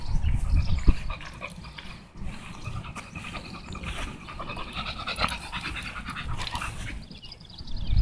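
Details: Tugboat, an American Bully, out walking and panting steadily, about three soft airy huffs per second, slightly uneven, with low wind-like rumble and handling noise underneath.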